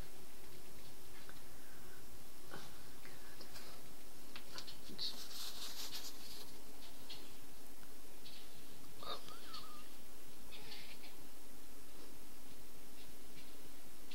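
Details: Squirrels squabble while hungry, with a rough burst of high squealing chatter midway, then scattered short squeaks and breathy noises against a low background hum.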